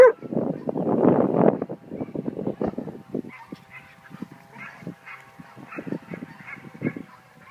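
An Australian cattle dog gives a run of rough, grumbling barks and groans in quick irregular bursts.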